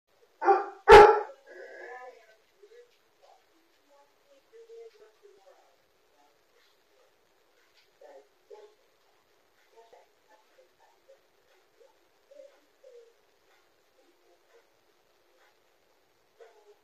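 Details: Pet dogs indoors at home during a house fire, picked up by an interactive dog camera: a pair of loud, harsh barks right at the start, then mostly quiet with faint, scattered voice-like sounds and soft noises across long pauses.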